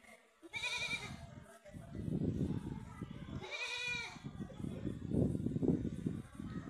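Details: Goat fighting with another goat, giving two loud wavering bleats about three seconds apart, with scuffling, thumping and background voices.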